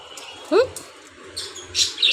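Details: Pet dog crying from fear of being left alone; one short rising whine near the start, followed by faint high squeaky sounds, with quiet low background hum.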